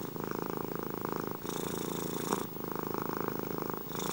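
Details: Domestic cat purring close up in a quiet room: a steady low rumbling purr that alternates between louder and softer breathing phases, with a breathier hiss on each change of breath.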